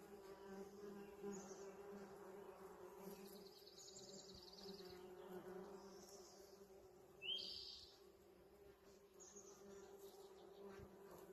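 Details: Bees foraging on a blooming holly tree in a yard in spring: a steady, low droning hum with layered tones that swells and fades, while small birds chirp briefly in the background.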